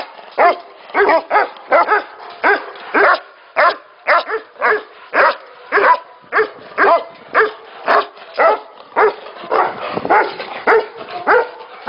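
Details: Tibetan Mastiffs at a breeding facility, barking over and over in loud, harmonic bursts close to two a second, several voices overlapping, with no other sounds clear.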